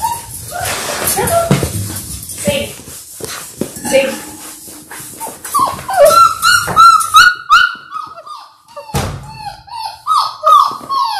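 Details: Six-week-old Labrador Retriever puppies, a litter of six born January 18, 2022, indoors on a live puppy cam: high whining and yelping cries, repeated in quick bursts, with rustling, thumps and voices around them.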